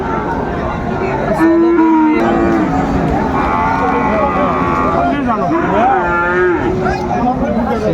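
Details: Friesian and cross-breed bull calves at Raniganj haat cattle market on 28 August 2024. Two drawn-out lowing moos rise and fall, one near the start and one in the second half, over steady crowd chatter and traders calling out prices.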